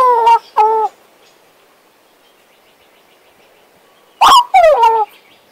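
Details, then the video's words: Western Australian magpie kept as a pet, warbling: two short harmonic-rich fluting notes, a long silent gap, then a loud burst of descending, slurred warbles. "My Western Australian Magpie Warbling, Whistling and Singing!"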